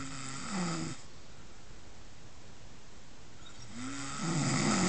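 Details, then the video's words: Sleeping pig snoring indoors in a small room: two low, rasping, drawn-out snores, one at the start and a louder one near the end, separated by about three seconds of quiet background hiss. "Snoring pig"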